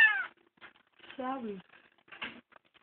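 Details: Adopted kitten found crying on the road meows indoors, a short high mew followed by a longer falling cry and a brief final call, while people talk in Tagalog in the background.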